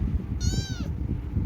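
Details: A pet cat gives a single drawn-out meow, falling slightly at the end, over a steady low background hum and music.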